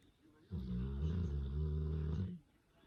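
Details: Cane Corso snoring in its sleep, one of the grey dogs Taira and Tessa: a single deep, rumbling snore of about two seconds with steady layered low tones, rising out of and fading back into a quiet room.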